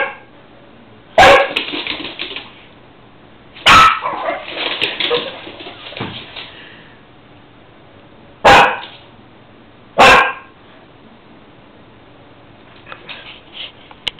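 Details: Shih Tzu playing with its new puppy brother; a few sharp barks and bursts of yapping come in short clusters separated by quiet gaps, with soft whimper-like noises between them.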